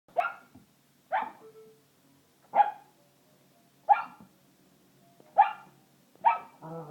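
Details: Newfoundland puppy named Pagan, female, barking at a toy that makes monkey noises: six sharp, mid-pitched barks about one to one and a half seconds apart, with faint toy sounds between them.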